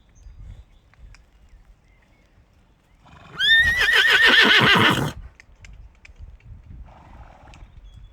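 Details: Horse whinny, a loud neigh that leaps up sharply, then shakes in a fast, quavering, descending series of pulses lasting under two seconds, with faint low rustling before and after.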